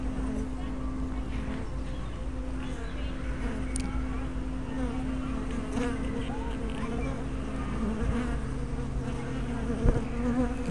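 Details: Continuous low hum of honey bees working a hive entrance, 24 May 2012, spy camera with fisheye lens; the drone holds level throughout, with faint wavering higher tones of passing bees and a small tap near the end.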